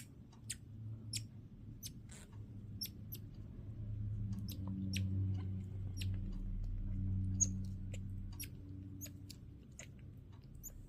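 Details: A male pet Midas tamarin weighing a little over 1 lb gives quick, very high, thin chirps, repeated every fraction of a second over a low indoor rumble.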